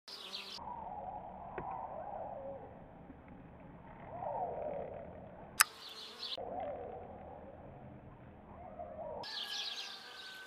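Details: Bees filmed with a Canon 4000D camera: a steady, low droning buzz that swells and fades across the recording, with a sharp click midway and brief breaks where the sound cuts out.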